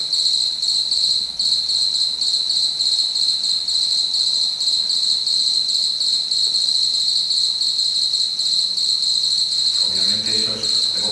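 A house cricket's courtship song: a high, steady chirring made of rapid, even pulses.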